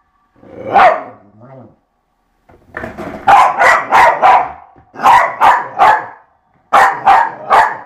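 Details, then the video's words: Eva the dog barks excitedly during skateboard play: a brief growly opening, then quick runs of sharp barks, about three each, separated by short breaks. "Eva + Skateboard = Beast"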